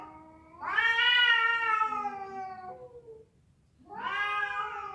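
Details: Cats fighting, with a female calling to a male; a loud wavering yowl lasting over two seconds that slowly sinks in pitch, then another rising wail begins after a pause, with faint background rumble.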